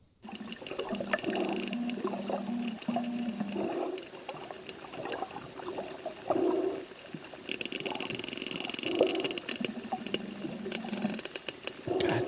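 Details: Sperm whale communication clicks, played as a sound clip: a steady, mechanical, machinery-like ticking underwater with low hums and watery wash.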